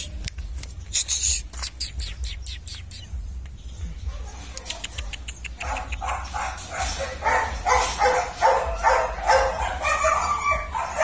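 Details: German Shepherd puppies from a litter descended from IVanka and MoRoc at a kennel in Vietnam, in their training yard: sharp repeated yips at first, then a dense chorus of overlapping high barks and yaps from several pups.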